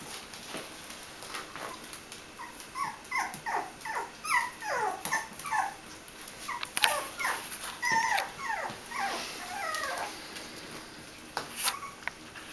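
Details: Litter of five Bichon Frisé puppies, five weeks and two days old, at a kennel in Vejle, Denmark, indoors; a busy chorus of short, high whimpering yips in quick bursts of several per second, with faint clicks and rustling.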